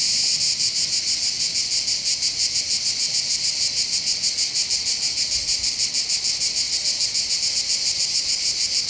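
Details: Cicadas singing on the heights above the port of Bandol, Var, Côte d'Azur, southern France, by the calm Mediterranean: a dense, steady high buzzing chorus that pulses about three times a second, with no other clear sounds.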